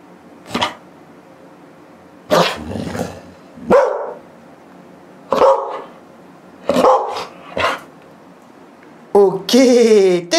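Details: A Belgian Malinois barking on command to greet viewers: six short sharp barks at uneven gaps of one to two seconds, some doubled, ending in a longer, higher, wavering whine-like bark, over quiet room background.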